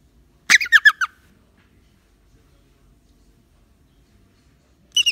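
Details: Captive rock hyrax (dassie) in a container awaiting release, frightened by a hand raised at a fly and moaning in protest: a quick burst of about five harsh squeaky notes sliding downward, then silence before another burst begins.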